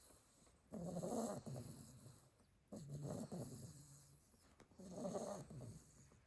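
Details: Sleepy pile of Staffordshire Bull Terrier puppies, a litter of eight, with one snorer: deep raspy snores, each about a second long, repeating roughly every two seconds with quiet breaths between.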